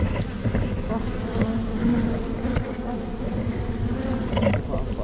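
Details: Tree-hole beehive during a honey harvest, GoPro Hero5 Black: honey bees give an even, low buzzing drone with soft pitch wobbles, faint taps and rustles underneath.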